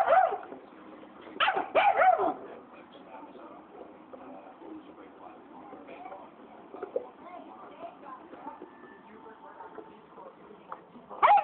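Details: Angry black phase wolf hybrid confronting a Saint Bernard that stole its bone: two or three sharp, wavering whine-snarls early on, a long quieter stretch of faint mutters, then another loud burst at the end.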